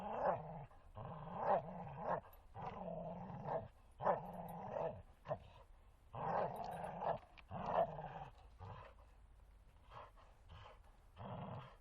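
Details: Playful growling from the Bull Terrier Martin during games in a forest: a dense series of rough, rumbling growls and grunting yelps, pulsing every second or so across the whole stretch.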